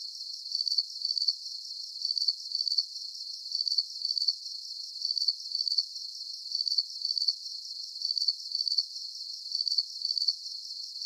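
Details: Calming cricket chorus for deep sleep, with bright, high trilled chirps that come in short bursts and pairs, evenly spaced and steady, and no other animals or noise.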